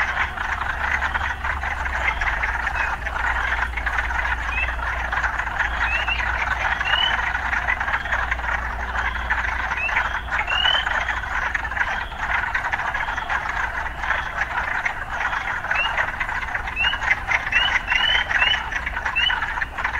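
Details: Frogs calling amid urban life: a thick, unbroken croaking chorus carries many quick upward-sweeping chirps, clustered toward the end, over a low steady hum of traffic that fades after the first quarter.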